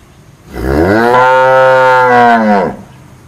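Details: Single long cow moo, about two seconds, opening with a low rising note, then a steady full harmonic bellow that falls away at the end.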